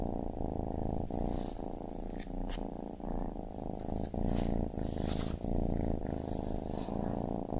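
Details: Baby kitten purring steadily, a low continuous rumble broken into regular inhale and exhale pulses about every second, with faint soft rustles above.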